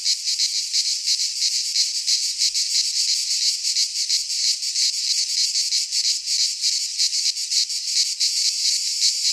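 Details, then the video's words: Cicadas of the Greek pine forest singing in high summer: a sizzling, high, continuous chorus with fast flickering pulses, steady in loudness from start to end. "Cicadas singing in midsummer - Nature sounds from the Greek fauna - Sounds of cicadas"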